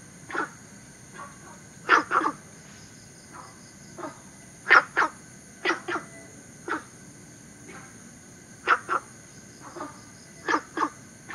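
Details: Günther's frog, a native of southern China introduced into Singapore, giving short clucking notes, often in close pairs, spaced irregularly one to two seconds apart, over a steady high-pitched insect hum.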